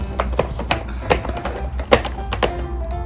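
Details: Background music plays indoors with irregular taps and soft thumps in a small room.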